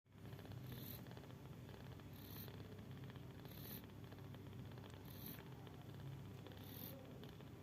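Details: Mother cat asleep and snoring: a steady low rumbling breath sound throughout, with soft hissy bursts recurring about every one and a half seconds as she breathes.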